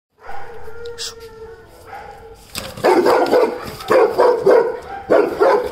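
A Weimaraner gives a whining opening, then a run of loud, deep, rapid barks.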